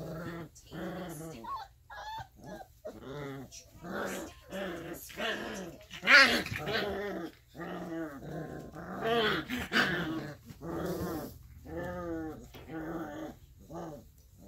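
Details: Alaskan Malamute puppies, 3.5 weeks old, playing together and making a string of high whines, yips and small growls.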